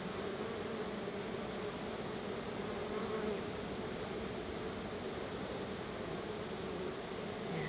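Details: Honey bees swarming around their hive while being fed store-bought honey as a thank-you treat. A dense, steady hum with a low droning band runs unbroken throughout, with no other clear sounds.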